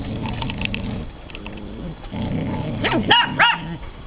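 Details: Ella, a frightened 9-week-old Irish Soft Coated Wheaten Terrier puppy, and Otis, a 28-month-old Broken Tricolour Beagle: low rumbling noise, then two loud high-pitched barks in quick succession near the end.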